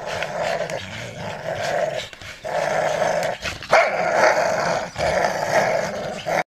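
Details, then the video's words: Three jumping American Staffordshire Terriers, a father, a mother and one of their offspring, at play; rough growling and a few short barks come through over a dense, noisy background. "skaczące amstaff'y"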